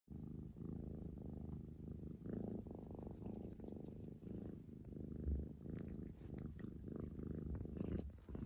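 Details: A female Scottish Fold cat, born 11 February 2021, playful and attention-seeking, purrs steadily, a low rumbling vibration rising and falling with each breath, with some background noise.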